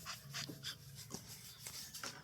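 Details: Tired female American Bully puppy on her second day in a new home, worn out after running, pants softly in quick breathy bursts about three per second over a low steady hum.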